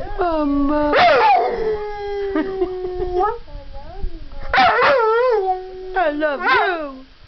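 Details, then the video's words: A pet puppy "talks" and "sings" to his owner, said to be telling her he loves her: long held howling tones broken by sudden sharp yipping bursts, then wavering, bending howls, with a brief quiet gap in the middle. "ringo the talking dog"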